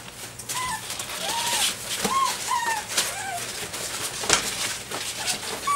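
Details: A group of six-week-and-five-day-old Dobermann puppies at play with a flirt pole indoors, giving about six short high whimpers and yelps, each rising then falling, scattered across the seconds amid scuffling paws and rustling.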